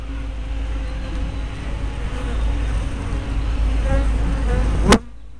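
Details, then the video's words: Honey bees at a hive entrance, recorded with a spy cam fitted with a fisheye lens in May 2012; a steady low hum of many bees with passing buzzes, ending in a sharp click and sudden drop to quiet. "Bee Hives - Entrance Observation"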